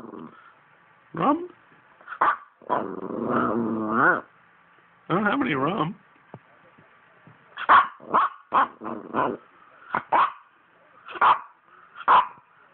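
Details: Poodle talking: wavering, moaning growl-like vocalizations in two long bursts, then a run of short, sharp sounds spaced about half a second apart.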